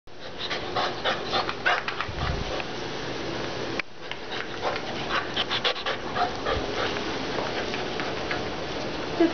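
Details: Pit bull terrier panting: quick, breathy, rhythmic bursts running in two stretches of several seconds, split by a brief pause, with a person's voice heard softly in the background.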